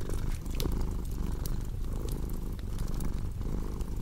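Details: Close, deep purr of a pet cat in a calming fireplace mix. The rumbling vibration runs without pause, gently pulsing with breaths, while scattered sharp crackles from the burning logs punctuate it.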